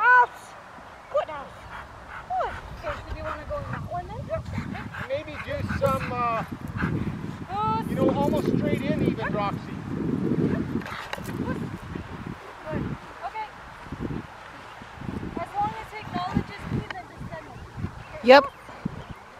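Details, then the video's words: Rottweiler named Poncho during IGP1 protection training at Victoria Rottweiler Club on May 9, 2021, with a helper; sharp barks and yelping calls come in uneven bursts over a handler's spoken commands and background rumble. "Rottweiler protection training - Poncho"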